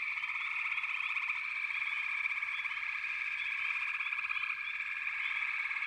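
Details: Frog chorus: a dense, unbroken wall of pulsing trills in the mid range, with short, higher rising chirps popping up every fraction of a second over the steady drone.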